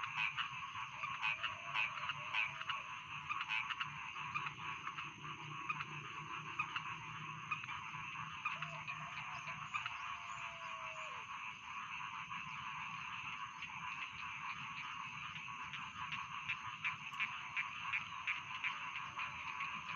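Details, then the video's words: A continuous chorus of rice field frogs, many callers croaking over one another in a thick, buzzing wall of sound. A faint, thin whistle-like tone slides briefly in the background twice. "Bedtime Frog Sound || Suara Katak Sawah Pengantar Tidur"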